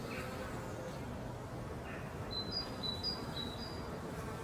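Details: Honey bees returning to the beehive with pollen on their legs: a dense, continuous low buzzing hum with a few faint high whistled bird notes in the background.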